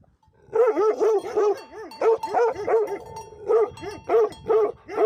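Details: Barking from livestock guardian dogs: rapid volleys of hoarse, mid-pitched barks, two or three in quick succession, then short pauses, over a faint continuous high tone.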